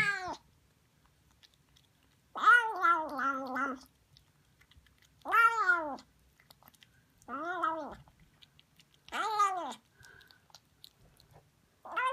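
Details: Noisy female Siamese kitten Harley eating sardines; five loud drawn-out meows spaced a few seconds apart, some wavering and stretched, others short and falling, between quiet stretches.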